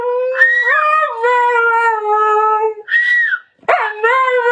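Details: Mate the husky, called by name at home, howls a sustained tonal note with a wavering bend near its start. It breaks off briefly, then gives a short high yelp-like note and starts a fresh howl.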